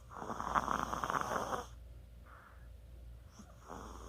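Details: Sleeping Chihuahua recorded on 24 October 2020, giving one long, rough, rasping snore lasting about a second and a half, followed by near-silence with a few faint soft breaths in a quiet room.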